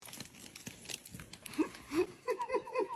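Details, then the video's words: Kitten meowing: a run of short, arched mews in the last second and a half, each rising then falling and coming in quick succession. Earlier, two softer mews sit among crinkling and rustling handling noise. "kitten meowing"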